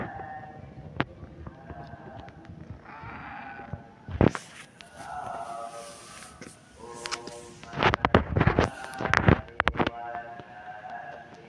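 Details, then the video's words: Whiny kitten meows recur throughout, plaintive tonal cries of about a second each, interrupted by bursts of loud scraping and thumping noise near the middle and end. "Such a cute kitten, his voice is so spoiled"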